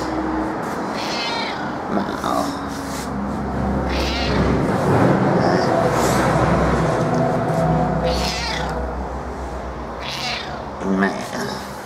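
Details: A female pet cat, usually reserved but here turning very affectionate, her meowing dropping a few tones into a low, drawn-out sing-song; repeated moaning meows over a steady rumble, with a person talking to her.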